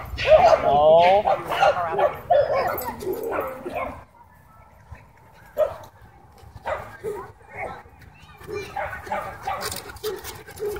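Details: Harassed Miniature Pinscher snarling a warning, a wavering whine-like snarl in the first seconds, then silence and short scattered yips and scuffles mixed with a person speaking.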